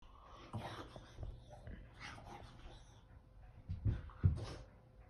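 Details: Sully, a Boston Terrier, wriggling around indoors in a small room; soft breathy snorts and snuffles come in irregular bursts, with two louder huffs near the end.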